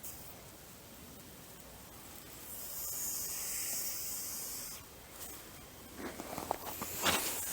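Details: A grass snake, agitated on being first caught and examined, lets out one sustained, airy hiss of about two seconds, followed by rustling and handling sounds.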